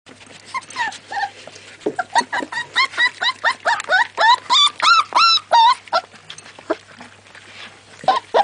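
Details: American Staffordshire Terrier (Amstaff) puppies whimpering and yelping: a rapid run of high, whiny cries that rise and fall, about three per second, growing louder mid-sequence before tapering into softer, scattered squeaks.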